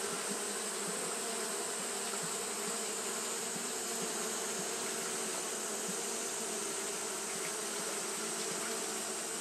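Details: Japanese honey bees fanning throughout a hot day: a steady, rich drone of many wings, low buzzy hum plus a soft high hiss, holding level from start to finish.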